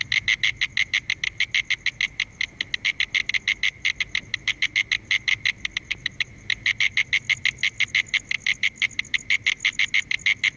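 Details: A mole cricket (Gryllotalpa sp.) calls with a steady, pulsing trill of clear, mid-pitched chirps, several per second.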